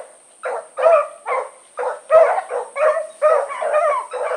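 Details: Four-dog Blackreek pack (Choco, Dino, Johnny Ringo, Mingo) out for an evening run on 8-16-2014; after a short pause, loud barks come at an uneven pace and then run together, with a thin electronic-like whine throughout.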